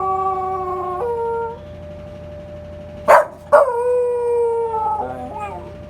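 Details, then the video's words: Rungji, a long-legged male Welsh Corgi born 6 August 2015, howls at the Memorial Day (Hyeonchungil) siren: a held tone ending near one and a half seconds, then a sharp yelp-like onset and a long slowly falling wail over a steady siren tone. "현충일 사이렌 소리에 하울링하는 강아지"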